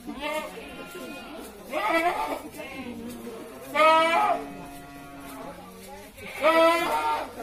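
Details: A goat kept for the qurban sacrifice gives quavering, wavering bleats about every two seconds. People talk in the background.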